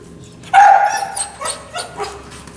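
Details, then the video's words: Kennel-anxious dog in a training session with a prong collar lets out a loud, piercing high whine, then a few shorter, quieter whimpering yips trailing off. "Stopping Kennel Anxiety With Prong Collar, Whining/Salivation/Biting Kennel Bars"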